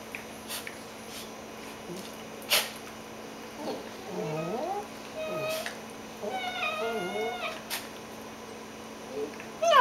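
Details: Two dogs, a dachshund and a cockapoo, playing together in bed while tired before their morning nap indoors; a few soft thumps, then drawn-out moaning whines that bend down and up, some doubled, with quiet room noise between.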